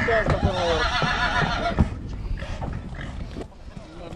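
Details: Mare from Satu Mare, Romania, giving a shaky, wavering whinny with quavering harmonics over the first two seconds, then fading into quieter broken sounds, with a man's voice speaking throughout.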